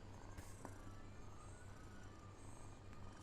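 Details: Pet cat purring, a continuous low, throbbing rumble in even pulses, with faint clicks, a thin high tone and quiet background sound.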